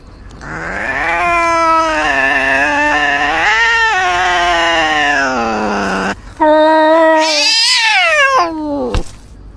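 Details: A cat wails continuously for about six seconds in a wavering, slowly falling howl, then after a brief pause gives a higher, harsher screech that drops steeply at the end.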